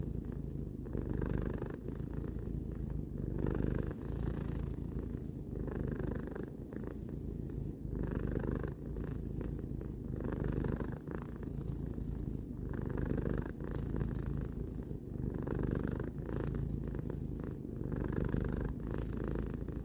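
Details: Continuous low purring from Tarou, a domestic cat aged three, recorded close up inside; the rumble swells and eases in breathing cycles roughly every two to three seconds across twenty seconds.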